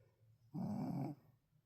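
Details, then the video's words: A single short, grating snore from a tired Shih Tzu sleeping indoors, lasting about half a second. "잘 들어보세요 피곤한가봐요^^"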